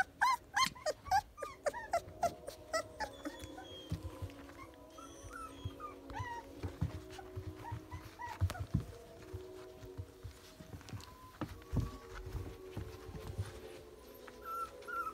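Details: Young Rottweiler puppies, eyes just opening and learning to walk: a rapid burst of high yelps and squeaks at the start, then scattered thin whines amid rustling and handling noise indoors.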